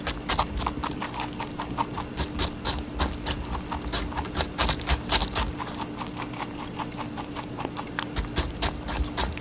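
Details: A rabbit munching watermelon, giving a steady run of sharp, moist crunches about three or four per second, fairly even in loudness, with a low constant hum behind.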